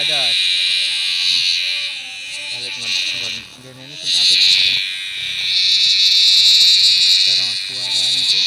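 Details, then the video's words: Giant cicada with a very loud voice, caught in a field: a harsh high drone that fades briefly twice and returns stronger, with a man's Indonesian speech in the gaps. "catch giant cicadas with very loud sounds"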